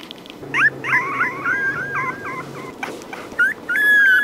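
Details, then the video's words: Puppy crying: a run of short, thin, wavering whimpers, some rising and some bending down, packed close together with brief gaps, then a longer steady whine at the end. Faint low hum underneath. "Tiếng con chó con kêu khóc Ư Ử |puppy crying"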